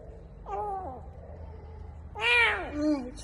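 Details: A starving kitten, found in the morning in an underground parking garage, gives two high, harmonic meows while devouring a breakfast bun, the second louder and longer, rising then falling, as if saying how hungry it is.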